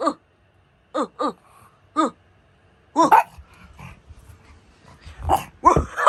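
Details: Pug dog barking indoors: short single barks spaced about a second apart, then louder, rougher bursts of barking with some scuffling noise between them.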